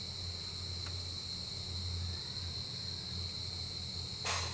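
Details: Giant rice cricket seen close up, said to come above ground only once a year in the breeding season; a steady, unbroken high-pitched ringing tone over a low background hum, with a brief scratchy burst near the end.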